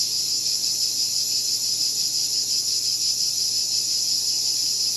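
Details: A cicada chorus of continuous shrill buzzing, dense and high-pitched with a faint rhythmic waver, holding level from start to end.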